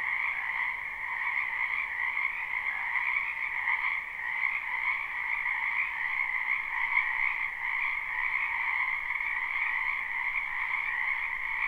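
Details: Spring frogs chorusing in a wetland beside a house, captured live: dense overlapping trills sustain a continuous high-pitched hum, swelling and easing slightly, with no gaps and no other animals or noises noticeable.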